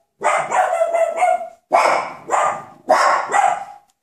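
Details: Coton de Tuléar puppies from one litter, almost six weeks old, playing on 27 August 2014; three loud, harmonic yapping barks, each a rough burst of about a second with short rising yelps, separated by brief silences.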